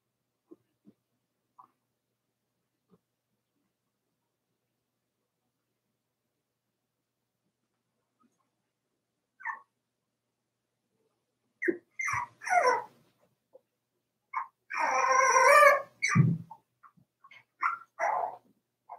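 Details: Four-week-old Cavalier King Charles Spaniel puppies from Daisy's litter in their indoor puppy pen: quiet at first, then a cluster of short high whimpers and yelps with a longer, louder whining cry around the middle of the second half.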